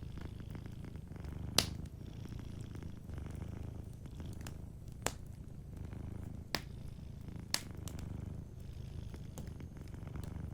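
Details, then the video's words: A cat purring while asleep near a cozy fireplace, with a deep, continuous throaty rumble in rhythmic breath cycles. Scattered loud snaps from burning logs punctuate it. "Sleeping Cat 🐱💤Fireplace & Soft Purring"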